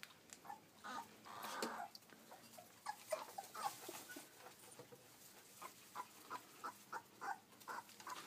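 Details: Kuvasz puppies, 20 days old, at a kennel in Szentendre, Hungary; soft, short whimpering yelps repeated irregularly, several little squeaks in quick succession near the end, faint rustling throughout.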